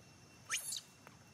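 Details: Baby monkey Rainbow throwing a tantrum after being attacked and bitten by a male monkey: one sharp, shrill scream sweeping upward and lasting about a quarter second, then a faint brief squeak against quiet background.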